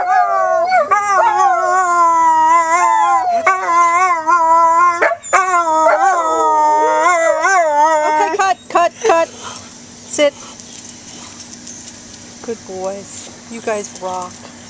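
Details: An old whippet-labrador mix dog, maybe part beagle or hound, howls in a duet with a younger, higher-voiced dog. Long, wavering, overlapping howls run for about eight seconds, then die into short yips mixed with a person talking.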